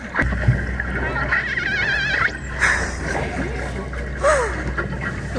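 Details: Killer whale (orca) calls, a wavering high whistle and a falling tonal sweep, over people talking and water noise, recorded from a tour boat in Alaska surrounded by more than 50 orcas.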